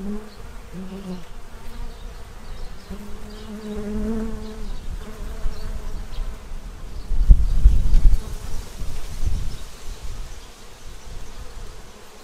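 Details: Bees in Central Illinois feeding at a tray before winter. Wavering low buzzes come and go in the first half, then give way to loud low thumps and rumbling.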